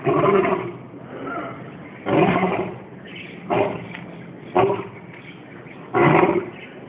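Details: A lion in its Singapore Zoo enclosure, an old male, recorded by mobile phone in January 2013: a series of heavy, coarse grunting roars about once a second, rising and falling in loudness, over low background murmur.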